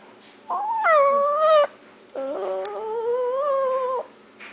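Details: Two mournful howls from Paco the dog, the first rising then sagging, the second a longer, slowly climbing tone with quavering overtones, heard indoors over a low hiss.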